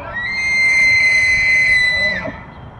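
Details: A bull elk crossing Lake Estes in Estes Park, Colorado, bugles: a piercing, flute-like whistle held at one high pitch for about two seconds, ending abruptly in a quick downward slide into a low grunt.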